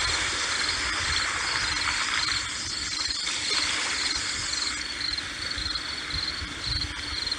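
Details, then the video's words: Shrill cricket chirping in brief repeated bursts persists over a constant hiss of breaking sea waves, in a relaxing mix meant for sleep. "海浪蟋蟀声，Sea Waves+Cricket Sound"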